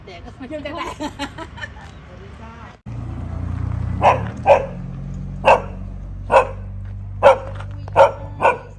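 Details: Dog barking at a friend's house in Thailand: after a few seconds of people talking, a run of seven sharp single barks spaced under a second apart, with a low steady hum underneath.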